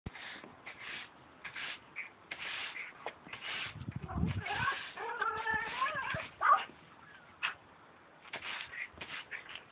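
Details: A dog makes strange, warbling whines at a brush, the pitch sliding up and down in short bursts, with brief rustling and scuffing sounds filling the gaps between cries.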